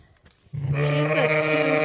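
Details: Sheep on a farm giving a loud, sustained bleat during lamb tagging, starting low and steady after a brief quiet moment of handling sounds.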